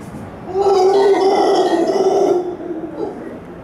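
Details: At Hotel Capitan Suizo, a howler monkey lets out a loud, guttural roar with a hoarse, throaty rasp; it swells quickly, holds steady about two seconds, then drops away into quiet background.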